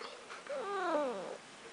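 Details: Pet cat indoors, described as talking, gives one drawn-out, arching meow that rises and then falls over about a second, with clear stacked harmonics; quiet room, owner's voice just before and after.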